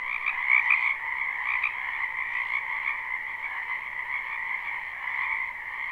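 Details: A live recording of numerous frogs calling from a spring wetland: steady overlapping croaks and trills, with a few sharper, higher notes standing out near the start before the chorus settles into an even hum.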